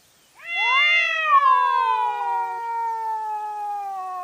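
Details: Cat at night, fighting, caught on a trail camera: one long, loud, wailing yowl that swells, wavers, then slowly falls in pitch over four seconds, with rich harmonics and no other sounds.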